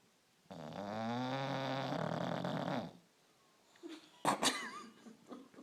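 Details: Bulldog snoring while asleep: one loud, rattling, buzzy inhaled snore lasting over two seconds, followed by quiet, then scattered snuffles and brief rustling noises.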